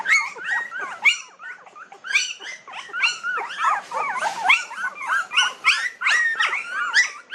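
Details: Several 19-day-old puppies cry together, a continuous stream of thin, wavering squeals and whines that rise and fall, overlapping so tightly there is hardly a pause between them.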